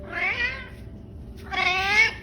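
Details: Talkative orange male pet cat, recovered from neglect and illness, calls twice indoors around feeding time: two bright, strained meows about a second apart, the second longer and louder than the first.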